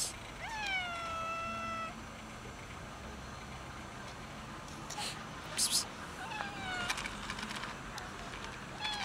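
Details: Hiding cat, later fed, gives a clear meow that rises sharply and then holds a long, slowly falling tone; a second, shorter meow follows several seconds later, with a brief sharp clatter in between.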